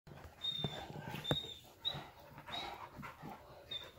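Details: Saint Bernard together with a puppy, heard as soft irregular panting breaths with faint whimper-like tones and a few thumps and rustles indoors.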